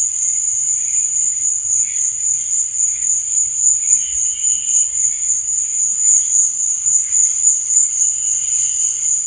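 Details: Night cricket chorus: a continuous shrill ringing trill holds constant throughout, softer fluttering chirps drifting in and out underneath.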